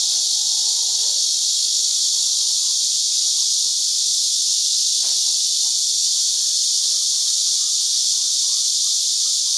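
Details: Many cicadas perched on tree branches at a chicken farm and fruit-orchard ranch in Houbi District, Tainan, sing together in season, recorded with a digital camera. A dense, steady, high hissing drone, with faint low chirps and one brief click.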